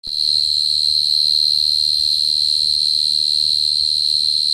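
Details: Dế cơm, a cricket kept as bait, giving a continuous high-pitched trill that holds one steady shrill pitch without a break, with a faint low rumble beneath.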